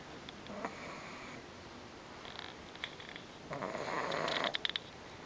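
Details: Female Pug, worn out after a whole day at grandma's house on 24 May 2009, snoring loudly and refusing to wake when teased; breathy, rasping snores in irregular bursts, the longest lasting about a second.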